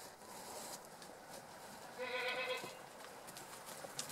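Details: Two young domestic white goats frolicking in a penned backyard in Japan in mid-April, chasing each other and leaping from a stump; one brief wavering bleat midway, with faint rustling and background hiss.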